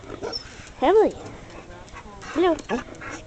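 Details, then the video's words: Emily, a female husky/wolf mix known for talking, gives two loud arched howl-like yodels with rich harmonics, one near the start and another about a second and a half later, while people tell the dogs to sit down. "Emily the talking dog/wolf"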